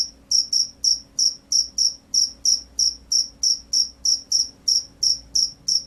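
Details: Loud-singing field cricket, known locally as jangkrik sawah gacor, repeats bright, piercing chirps about three each second, some eighteen in sequence, against a near-silent background.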